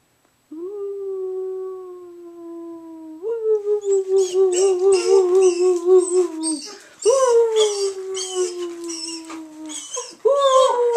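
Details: A female German Shepherd, prompted by her owner, gives long, steady howls that start high and slowly sag, with a person howling along.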